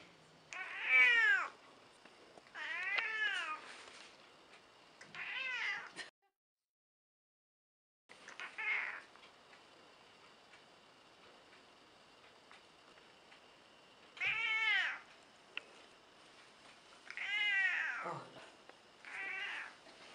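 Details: Montage of Mitsy, an elderly domestic cat of about 14 who meows a lot: bursts of short arched meows, three early, a silent gap, then more cries in quick succession against a quiet indoor background.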